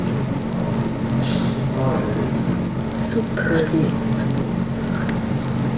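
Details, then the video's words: Black field cricket (Teleogryllus oceanicus) watched in red light while mating, with males also showing aggression; a continuous piercing high trill runs the whole time, with a low droning hum beneath and a few soft brief sounds. "Teleogryllus oceanicus (Black Field Cricket) mating"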